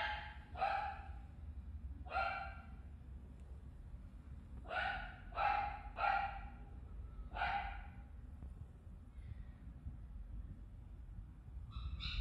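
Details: Maltipoo at the Inu no Ie pet shop in Nagahama, recorded on 25 April 2018: high, bright yapping barks, singly and in quick runs of two or three, about eight in twelve seconds, over a low background hum.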